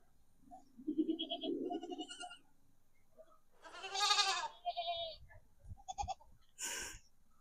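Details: Goat reacting to a playback of its own sound and searching for it: a strong, vibrato bleat in the middle, then shorter clipped bleats and a final shrill cry, with soft speech at the start.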